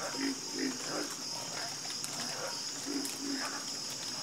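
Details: Chorus of frogs croaking: low, throaty croaks repeating about every half second in a steady rhythm, with several callers overlapping, over a constant high, shrill insect buzz.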